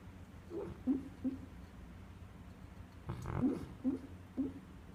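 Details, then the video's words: Sleeping pet dog dreaming indoors, giving short soft whimpering yips and muffled snuffles: a cluster near the start, a breathy snort around three seconds, then three more brief whimpers spaced about half a second apart. "Funny dream snoring"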